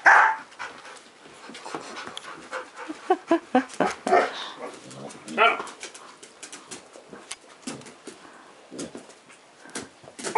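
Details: Over-excited pet dog named Eclair, giving quick breathy huffs and snorting bursts in uneven runs, with a sharper burst near the middle; people's voices are heard at the start and between the bursts.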